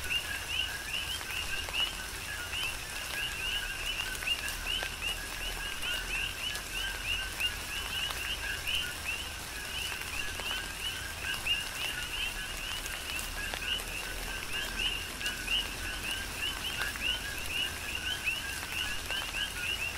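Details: Big Island, Hawaii: a steady chorus of coqui frogs during tropical rain, many overlapping chirps forming a continuous high band over hissing rainfall and occasional drop impacts.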